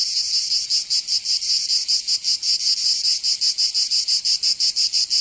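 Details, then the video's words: Summer cicadas of Provence in the south of France giving a harsh, high, electric-sounding buzz that pulses in quick beats, roughly three per second, with nothing else audible. "Canto Cigarra 🦗 [ Escuchar les cigarras en verano 10 H]"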